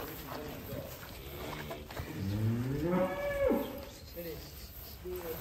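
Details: Huge cattle in Indonesia coming out of its pen gives one long, low moo that swells and bends downward over about a second and a half, with people talking and calling out nearby.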